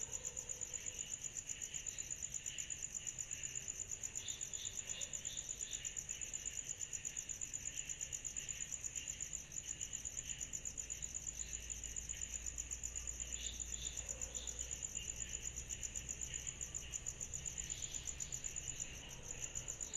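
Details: Summer night chorus of cicadas: an unbroken, piercing high whine with a rapid pulse. Scattered short chirps rise in the middle range, a few grow stronger near the end, over a soft low rumble.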